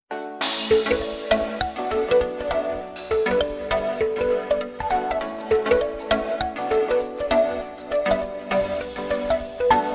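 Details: Upbeat music with bright chiming melody notes and a steady beat plays throughout, and no animal voice can be picked out.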